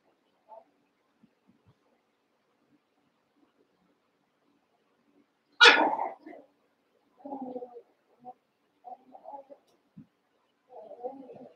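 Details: Eight Cavalier King Charles Spaniel puppies, Daisy's six joined with Robin's two remaining pups during play; a sudden sharp yelping bark stands out, followed by a string of lower, softer grumbling yips and small whines.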